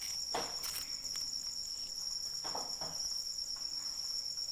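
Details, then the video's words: Crickets in the rain, a steady, high, continuous shrill trill in two stacked bands, with a few soft knocks and dripping taps of rain over a quiet, even patter. "Suara Hujan dan Jangkrik Pengantar Tidur"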